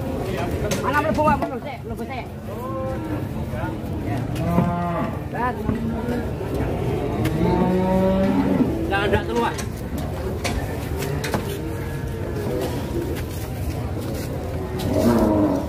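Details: Giant cattle being loaded onto a truck for a contest, lowing repeatedly: several deep, drawn-out moos, some rising then falling, spaced a few seconds apart over constant rumbling handling noise and background clatter.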